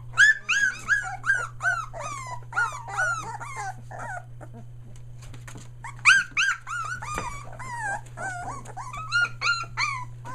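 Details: Litter of Australian Shepherd puppies one day short of three weeks old, including three merle pups, near Mooresville, North Carolina, just finding their voices: rapid overlapping high whiny yelps and squeals rising then falling, quieter lull midway, then renewed crying over a steady low hum.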